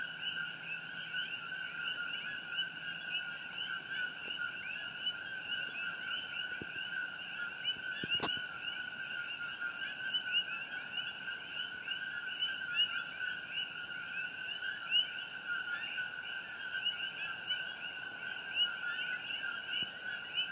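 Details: Coqui frogs at night on Hawaii Island, June 27, 2018, during the Fissure 8 eruption glow: a constant chorus of rising, chirpy two-note co-qui calls, a low and a high note layered together, with one sharp click midway.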